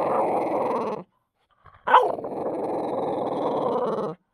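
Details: French Bulldog turning furious as its deer bone is about to be taken: a rough growl, a brief pause, a sudden snarling yelp, then another drawn-out throaty growl.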